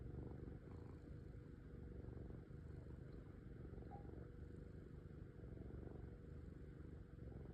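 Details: Domestic cat purring: a steady, low, rumbling throb that continues without a break for the whole stretch, over a faint constant hum.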